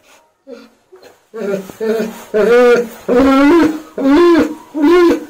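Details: German Shepherd crying during a bath, voicing discomfort: after a few soft whimpers, long, wavering, howl-like cries rise and fall in pitch, repeated about once a second, with a person's brief words beforehand.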